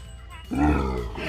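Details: Asian elephant mother calling for her calf, said to call louder when she cannot see it; a loud low harmonic rumbling cry starting abruptly and held about a second, with music in the background.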